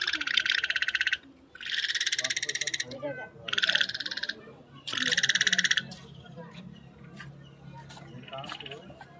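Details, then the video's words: A frog croaking outdoors: a few rapid, rattling pulsed bursts of about one second each, separated by short pauses, then quieter scattered clicks and faint background calls toward the end. "Frog croak"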